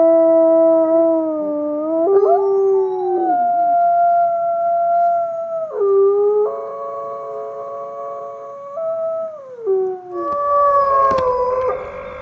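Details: Wolves howling in chorus: sustained, even-pitched howls held for seconds, then stepping down or breaking to a new level, with overlapping voices and a noisy, rougher burst near the end.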